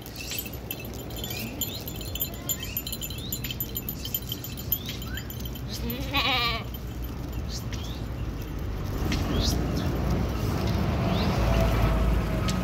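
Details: Kashmiri goat offered for sale in Kashmir gives a single quavering, wavering bleat about six seconds in, set against steady broadband background noise, with scattered faint bird chirps higher up.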